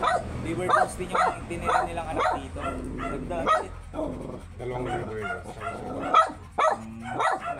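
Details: Very small Shih Tzu at a stud session in Pangasinan, barking in a series of short, sharp yaps spaced roughly half a second apart, with people talking over and between the barks.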